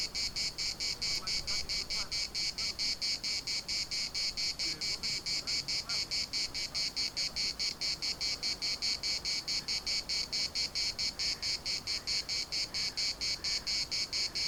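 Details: Chorus of cicadas in Larnaca's municipal park, a harsh high rasping buzz pulsing rapidly and regularly, a little over two beats per second, continuous for the whole stretch, with faint low background murmur beneath.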